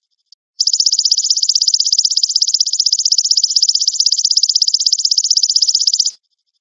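The golden grasshopper's call is a bright, dry trill, high-pitched and made of fast even pulses run together into one long buzz. It starts and stops abruptly, with quiet around it.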